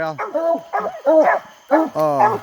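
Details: English Coonhounds coon hunting on a hot summer night, giving drawn-out, wavering bawls with strong harmonics, about four separate cries in quick succession, with a man's voice nearby.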